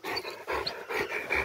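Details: Rottweiler, one of two dogs coming down a tower, panting hard: four rough, breathy bursts in quick succession, roughly one every half second, with no other sounds standing out.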